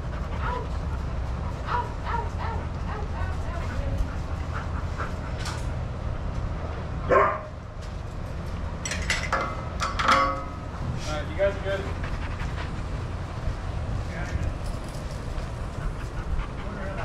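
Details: Adoptable shelter dogs playing and running together at a daycare, with a few sharp barks near seven and ten seconds and scattered yips over a steady low rumble of room noise.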